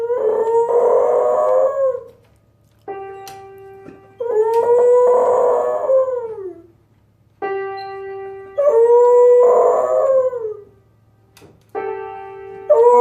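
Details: Pet dog singing along to piano: long wavering howls of about two seconds each, rising then sagging, four times over thirteen seconds, alternating with sustained piano chords.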